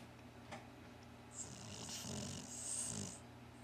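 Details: Cocker Spaniel Shar Pei mix dog named Barclay snoring while asleep indoors: a soft breathy rasp from about mid-clip, one long hissing inhale-exhale with a faint low rumble underneath, over steady low room hum.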